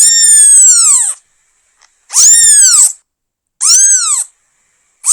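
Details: Newborn kitten calling for its mother: three loud, high meows, each an arched tone that rises briefly and slides down, roughly a second apiece with short silent gaps between.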